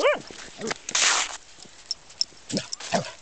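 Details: Corgi playing in thin snow outdoors gives short, high yelping barks with sharply falling tones, scattered over a few seconds, with a burst of scuffling noise and a person calling "hey".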